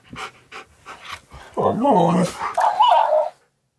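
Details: Siberian Husky Key (K'eyush) 'arguing' with a talking, dancing cactus toy indoors: a few soft short sounds, then a loud, drawn-out wavering howl-like vocalization, followed by a higher, warbling second phrase that ends abruptly.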